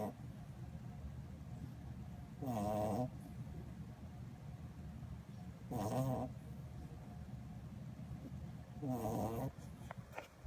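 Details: Sleeping Corgi puppy snoring: three soft, breathy, rattling snores roughly every three seconds, each about half a second long, over quiet indoor background.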